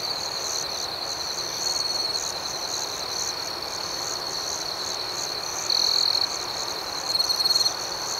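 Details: High, continuous cricket chirping at night, the rhythmic shimmering chorus holding steady, then two brief louder bursts of chirps close together toward the end.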